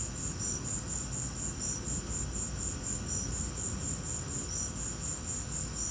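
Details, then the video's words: High, evenly pulsed cricket chirping that never stops, recorded during a lightning storm; an occasional softer lower chirp joins in, and a dense low rumble fills the background. "Lightning and crickets!"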